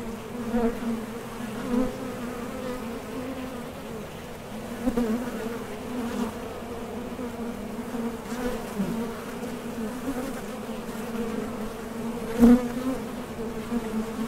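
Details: Steady droning hum of honey bees coming and going at a Top Bar Hive entrance while foraging for nectar, with occasional louder swells and a sharp click as individual bees land or take off.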